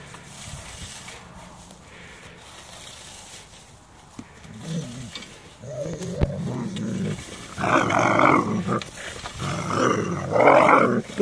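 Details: Doberman reacting to a rake it dislikes: quiet for the first five seconds, then loud, rough, drawn-out growling roars in uneven bursts that grow stronger toward the end, with faint outdoor background.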